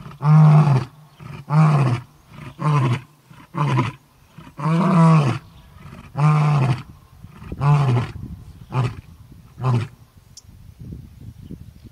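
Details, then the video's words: Male lion from the Orpen males calling for the Koppies Pride females: a roaring bout of nine deep grunting roars, the first longest and loudest, then shorter grunts fading and spacing out toward the end. "Orpen Male( Buddy) calls out for females!"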